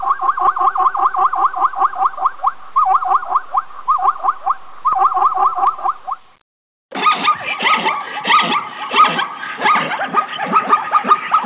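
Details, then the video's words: Zebra giving a steady run of short, evenly spaced barking yelps, then a louder, harsher stretch of overlapping, braying calls after a short pause. "som da ZEBRA"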